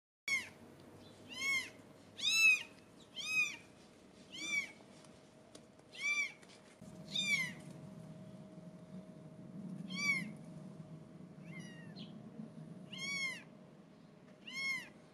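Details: British Shorthair kittens, 17 days old, meowing: short high-pitched arched mews repeated roughly once a second, some louder than others, over a faint steady hum and low background rumble.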